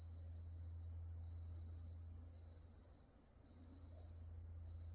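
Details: Grass insects calling after dark at Wonhyosa temple on Mudeungsan, October 2024: a steady high shrill trill with brighter pulsed bursts repeating every second or so, over a constant low hum.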